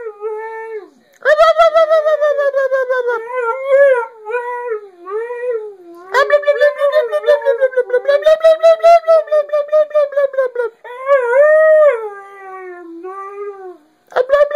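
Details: A part-husky male howls and yodels at his owner in long, wavering, up-and-down tones, close and loud indoors, his way of talking; Siberian Husky.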